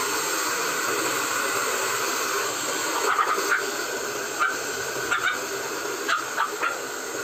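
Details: Two-month-old Pomeranian puppy named Mico during bath time, letting out short, high whimpers in a few quick bursts from about three seconds on, over a steady hiss of running water spray.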